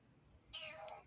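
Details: Kitten crying for help gives a single short, clear meow that slides downward in pitch, while a person softly offers it food.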